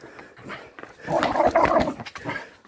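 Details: Patterdale Terrier in tug of war training play: a dense, rasping growl swells for about a second midway, noisy and throaty, then tapers off, with quieter breathy rumbles before and after.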